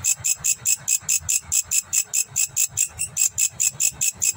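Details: Grasshopper in Indonesia stridulating: very high, hissing chirps pulsed in a fast, even rhythm of about seven per second, with faint low thumps beneath.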